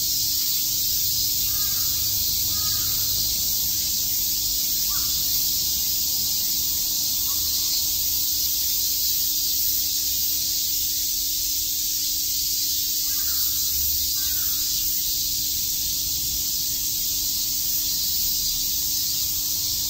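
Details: Cicadas chirping in Shakujii Park, Tokyo, on a summer day: a steady high hissing drone, broken only by a few short harsh caw-like calls from a bird in the background.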